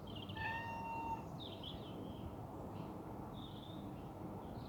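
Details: Domestic cat crying loudly while pretending to be locked out: one long, high, drawn-out meow with a steady tone, followed by several shorter, softer wavering cries over a quiet indoor background.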